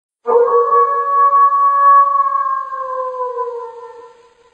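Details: A gray wolf gives a single long, smooth howl that holds a steady pitch, then sinks and fades.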